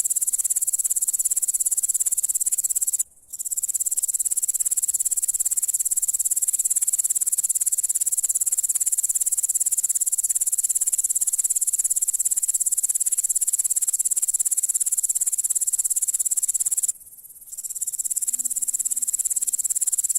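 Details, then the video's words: High, sizzling insect trill from a grasshopper, loud and constant, broken by two brief silent gaps. A soft low hum appears faintly near the end. "The sounds of the grasshopper | How it chirps"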